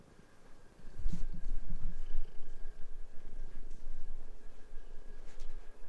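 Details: Pet cat on a bed at home while its owner changes the sheets, one of two cats that play and fight there; a low, pulsing rumble of purring begins after a second of quiet, with soft rustles and thumps of bedding.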